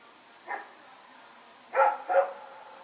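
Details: Rex, a dog, running around and barking at night, recorded on 21 September 2018: one short bark, then a quick double bark about a second later, against a steady low background hiss.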